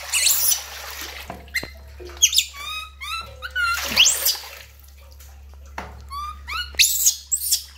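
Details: Lori, a baby monkey, cries during a bath, giving a string of high, harmonic, downward-sliding wails in quick succession, with splashing water and bursts of noise between cries.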